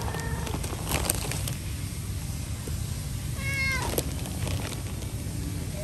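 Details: Cute cat meowing nicely to ask for food; a faint meow at the start, then one clear, drawn-out meow that bends and falls in pitch midway, over steady low rumbling and scattered clicking noises.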